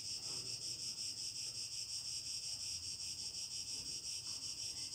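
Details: Cicadas on a summer evening, heard from a home terrace near disappearing countryside, sing a steady, high-pitched rasping buzz that pulses slightly without pause.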